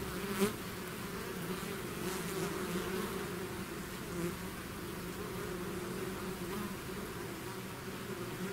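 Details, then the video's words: Bees swarming out of their hive: a constant buzzing hum, deep and steady, with one sharp nearby bee pass at the start and faint rises as single insects fly close. "bees therapy swarm natural buzzing sound"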